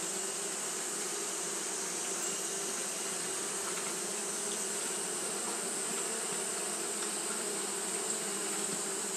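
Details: Continuous fanning buzz from Japanese honey bees on a hot day: an unvarying droning hum with a strong high sizzling band, a few faint clicks, and no pauses.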